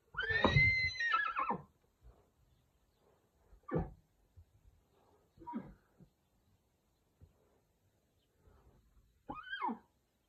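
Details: Pura Raza Española horse, where a stallion and mare are featured, gives one loud high whinny with a shaking, falling tone lasting almost two seconds. Short low snorts and nickers follow, with a brief rising-falling call near the end.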